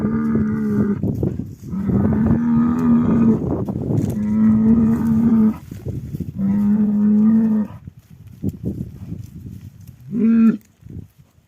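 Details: Cattle lowing in lament over a dead animal. Repeated long, deep, steady moos of one to two seconds each, about four in a row with short breaths between, then a brief final moo.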